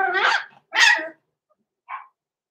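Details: Blenheim Cavalier King Charles Spaniel puppies at six weeks old, indoors in their pen, with two loud, rough puppy barks close together, then a softer, higher yip.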